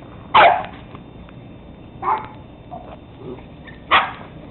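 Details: Teddy Roosevelt Terrier pups, 13 weeks old, recorded 17 October 2007: three sharp, high barks spaced about two seconds apart, the second softer, with faint quieter yips between them over a low background hiss.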